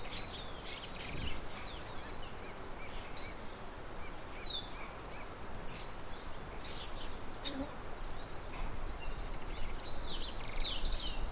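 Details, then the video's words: Crickets in the wild, sounding together with birds and a windmill murmuring in the background. A steady, very high ringing trill runs almost unbroken, with brief drops near four, seven and eight seconds, while faint short bird chirps flick above the low noise. "Sonido de Grillos y Pájaros"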